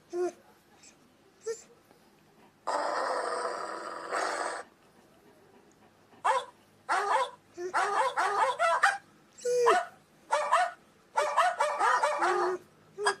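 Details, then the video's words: German Shepherd making a series of short yips and whining yelps, a long breathy rasping sound lasting about two seconds, then bursts of rough barks and whines repeated roughly every second, indoors. "German Shepherd Ringtones"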